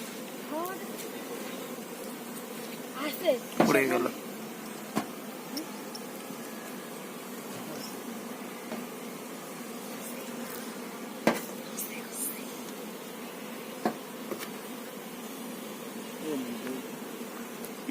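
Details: Honey bees at a hive on a Bangladeshi bee farm, with the queen bee shown: a steady, low droning hum of many bees throughout, with brief handling clicks and knocks and men talking in Bengali nearby.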